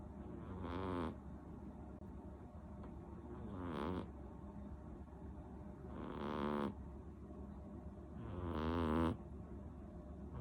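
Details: Sleeping seven-month-old female cat named Rinchan, snoring loudly: four breathy, rasping snores roughly every two to three seconds, each swelling and ending abruptly, with quiet pauses between.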